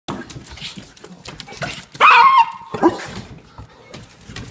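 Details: Bloodhound and a Pom cross, two pet dogs, going wild with excitement about going outside; a single loud harmonic bark stands out amid scuffling and background noise, with a shorter yelp just after.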